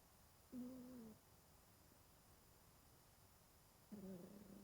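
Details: A 20-year-old domestic cat, sound asleep and curled up indoors, snoring: two soft, nasal, whistling breaths a few seconds apart, each with a slightly falling tone, over a quiet room hiss.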